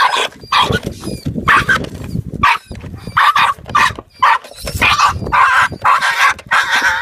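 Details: Barking from a 10-week-old female Jack Russell Terrier puppy facing a rat for the first time: bright, strained yaps in irregular clusters over rustling ground noise and handling sounds.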